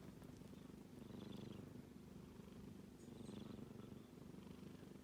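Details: A kitten asleep gives a low, rapidly pulsing snore that swells twice with its breathing, each breath a faint airy hiss over the rumble.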